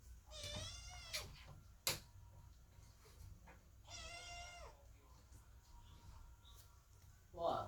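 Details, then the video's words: Indoors, kittens wait by the door and meow loudly as mother cat Chloe is giving birth; two clear, sustained wailing meows spaced about three seconds apart, with sharp knocks and a faint human voice in the background. "Котята громко мяукают под дверью, когда кошка Хлоя рожает"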